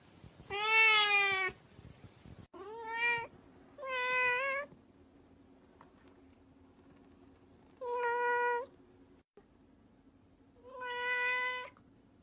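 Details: Cute cat repeating meows, one loud opening meow then several shorter and longer clear meows at irregular gaps, over a faint indoor hum.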